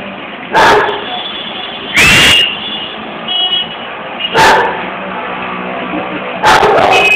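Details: A dog barking on a balcony: four separate loud, harsh barks spaced about one and a half to two seconds apart, one slightly drawn out, with a constant noisy hum underneath.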